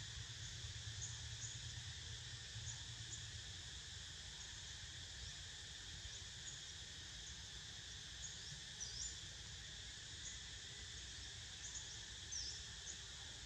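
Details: Cicadas buzzing while Niko snoozes: a steady, unbroken high shrill hum with several layered pitch bands, faint chirps flicking above it, and a low rumble fading out early on.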